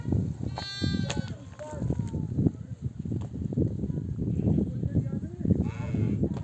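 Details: Mother sheep of a nomadic flock bleat to call their lambs to nurse after returning from desert pasture among oak trees; a few harmonic bleats rise above the constant shuffling and trampling of the flock, with voices nearby.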